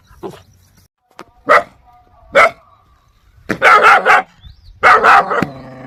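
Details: Aggressive dog barking, a few sparse single barks early on, then louder clustered harsh barks near the end with a brief low growly tone; quiet gaps between.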